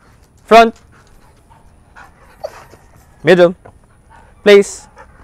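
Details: Belgian Malinois in training in the Philippines, giving three loud, sharp barks spread across five seconds, with a handler's voice calling commands and praise between them.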